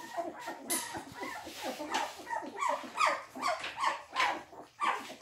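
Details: English Springer Spaniel puppies at their first quark mash, giving repeated high whimpering yelps with short rising squeaks about every half second, mixed with slurping and rustling feeding noises.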